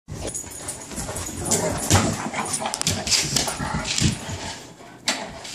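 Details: A bullmastiff and a Dogue de Bordeaux at play: irregular scuffling bursts and short rough vocal noises, some broad and noisy, repeated several times a second with loud peaks near two and four seconds.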